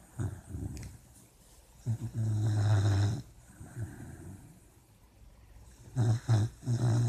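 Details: Sleeping puppy dreaming: low rumbling snores and growly grunts in bursts near the start, around two to three seconds, and again at six to seven seconds, with quiet breathing between.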